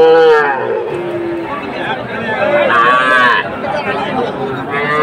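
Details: Young Sahiwal bull calves at Aftabganj cattle market in Bangladesh on 18 October; several drawn-out moos, one low steady call then a higher arching one near three seconds, with faint voices in the background.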